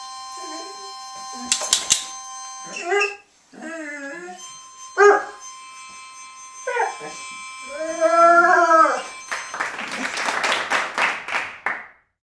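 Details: Two Otterhounds howl together in a singing performance: a series of wavering, harmonic howls and yelps rising and falling in pitch, with music and a burst of applause at the end.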